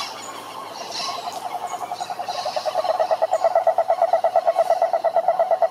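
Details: A toad's pulsed trill that starts faint and swells steadily, the pulses becoming loud and regular by the second half, with a few thin high chirps in the background.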